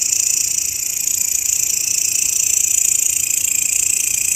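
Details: Grasshopper sound kept as master audio for training songbirds: a steady, high, shimmering buzz with fast regular pulses, several layered bands held continuously without pause.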